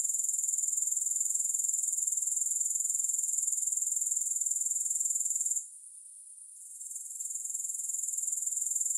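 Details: Steady shrill grasshopper chorus, a fast-pulsed high-pitched buzz that runs unbroken for over five seconds, cuts off abruptly, then creeps back in and resumes its even rhythm; no other sounds.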